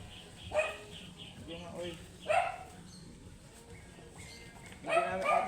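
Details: Angry, matted Shih Tzu during grooming, giving three sharp, harsh barks about two seconds apart, the last a doubled burst, over soft background noise and faint voices.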